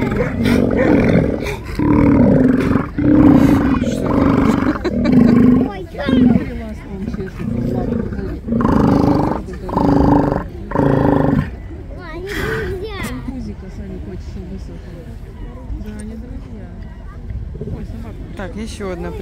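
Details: Steller sea lions in a city seaport on 10 April 2022 give deep, throaty roars in rapid bursts, with people talking afterward.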